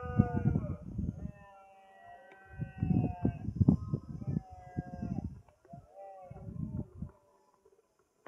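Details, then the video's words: Rutting red deer in Sierra de Andújar, Spain, recorded 10 September 2024 around 5 pm; several low, growling roars, each lasting a second or more, separated by short silences, with rough harmonic tones. "El sonido de la berrea a las 5 de la tarde"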